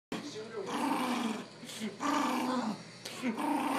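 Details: A female poodle growling while showing her teeth: rough, continuous vocal grumbling in drawn-out waves with brief pauses, mixed with a person's voice nearby.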